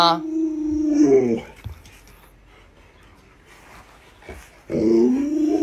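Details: Alaskan Malamute named Luoluo, a pet dog, reacting while its owner wears a mask to frighten it: a drawn-out tonal howl that wavers and rises for about a second, a quiet gap, then another moaning howl starting near the end.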